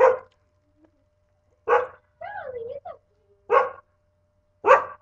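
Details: Pet dog barking indoors on a webcam recording from August 15, 2011: four short, rough barks spaced over five seconds, with a wavering voice-like sound between the second and third barks.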